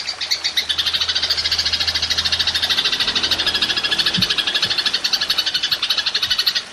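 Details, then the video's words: Belalang emas, the golden grasshopper, recorded for songbird training, giving a long 'nembak' run: dense, even, rasping pulses held high and continuous throughout, with faint low hum underneath. "Belalang Emas Nembak Panjang"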